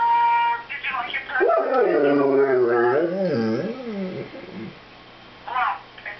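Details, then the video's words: Male Airedale terrier vocalising to his owner on the phone: one sustained, warbling howl that rises, dips and wavers for about three seconds, with brief human voice before and after. "the Singing Airedale Talks on the Phone"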